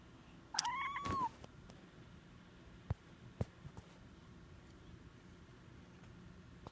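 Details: Siberian Forest cat talking while resting: a single short, arched chirping meow that rises then falls. Then near quiet with a few faint clicks over a low indoor hum.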